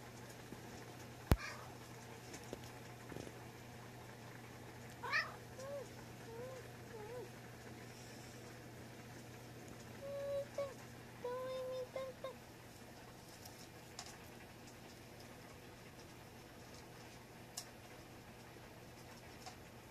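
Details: Munchkin cat named Miita, an affectionate, clingy house cat, filmed 4 January 2020; a few soft, short meows with faint harmonics rise and fall, spaced a few seconds apart over a quiet indoor hum, with one sharp click early.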